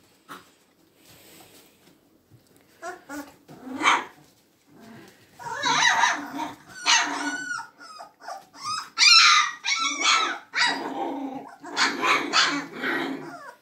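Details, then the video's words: Magyar Vizsla puppies in play, starting quietly with soft whimpers, then building into dense high yips, squeals and wavering whines, several voices overlapping. "Magyar Vizsla Welpen"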